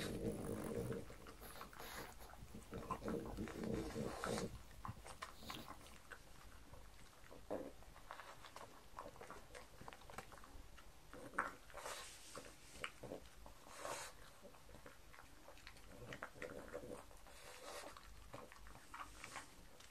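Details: Pug dog eating breakfast of white bread croutons and beef bacon indoors: irregular crunching and smacking chews, several bites per second, with brief louder crunches and soft room noise.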